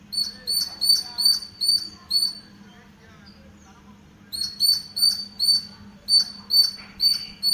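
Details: Squirrel in a green house garden giving quick, shrill chirps in an even series. The calls pause for nearly two seconds midway, then resume at the same brisk pace over a soft background hum.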